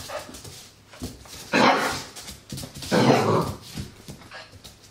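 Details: Eight-week-old Labrador Retriever puppy named Andy indoors, seeing his mirror reflection for the first time; two short, rough barks about a second and a half apart over a low steady hum.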